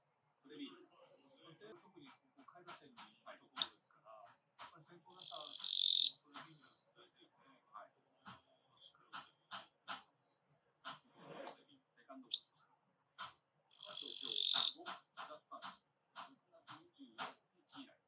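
A katydid gives two loud, harsh buzzing bursts over scattered clicks and low voices.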